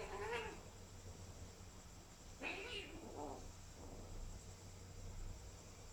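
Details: Freshly vaccinated kitten meowing three times: a brief high cry at the start, then a longer, strained, wavering meow and a softer trailing one, over a steady low room hum.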